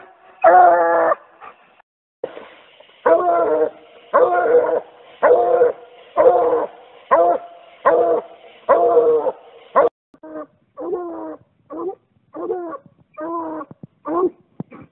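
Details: A Treeing Walker Coonhound pup gives its angry-sounding tree mouth during conditioning for fall, a run of loud, rough barks about every 0.7 seconds, followed by shorter, softer choppy yelps in quick succession.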